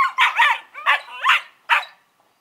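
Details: Collie puppies Norris and Amica, 11 weeks old, give five quick high barking yelps, some doubled, with rough wavering tone and a brief quiet end.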